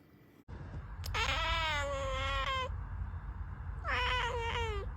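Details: Domestic cat giving two drawn-out, strongly harmonic meows: a steady wail of about one and a half seconds that dips slightly at its end, then a shorter similar cry after a pause, over a low background rumble.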